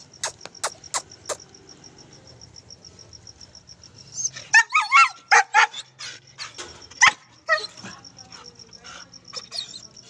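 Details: German Shepherd puppy kept as a pet, being told to sit in Hindi; after faint clicks, a burst of high-pitched yips and whimpering barks in the middle, with a steady high electronic whine throughout and a person speaking.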